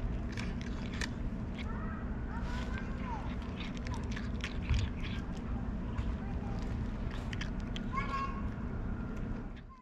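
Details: Whisskas, a fluffy female tabby cat, gives short rising-and-falling meows in a distinctive voice, with one early pair and one later near the end, over a steady low rumble of background noise.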